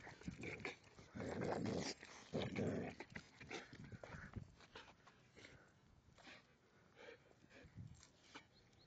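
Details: Excited dog near home on the way back from a walk, giving harsh, noisy growling bursts that are loudest early on, then quieter scuffling and footstep sounds outdoors.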